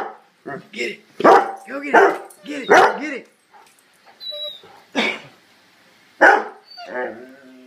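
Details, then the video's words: Several dogs barking in quick, uneven bursts, roughly one bark a second, loud and harsh with some higher yelping tones between them and a person's voice heard faintly. "Dogs Barking"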